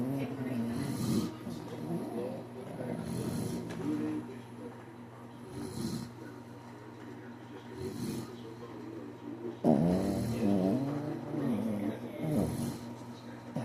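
A Shih Tzu snores in slow, raspy rumbles that repeat every couple of seconds.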